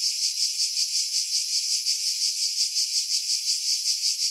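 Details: Pine-dwelling cicadas at Pefkos Bay, Skiros, Greece, summer 2018: a dense, hissing high buzz throbbing at a steady rate of about three beats per second, no other sounds.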